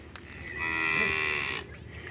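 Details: Bali cattle kept on a farm: one long, loud, even moo lasting about a second, rich and tonal with many harmonics, rising and falling gently in volume, with faint farmyard noise before and after.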